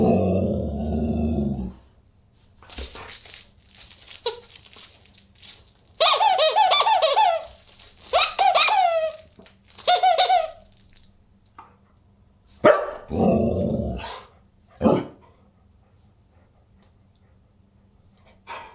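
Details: Husky vocalizing at a dinner party on December 27, 2022: a low rumble at first, then bursts of squeaky, wavering howl-like calls separated by quiet gaps, with scattered clicks and room noise.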